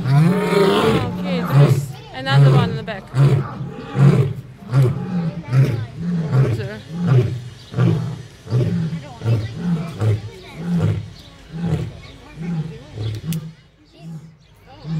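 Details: Lions (Panthera leo) at Fresno Zoo in July 2021 roar, a deep series of grunting pulses repeating under a second apart and slowly fading.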